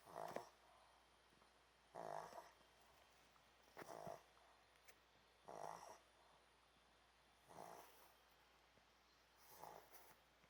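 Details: A Pomeranian snores while asleep on a hot dog cushion, a soft raspy snore sounding roughly every two seconds, six even breaths with quiet pauses between them.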